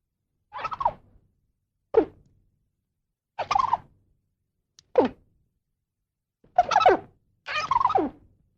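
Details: Squirrel calling with six rough, falling squeals, each under a second long, separated by quiet gaps of roughly a second.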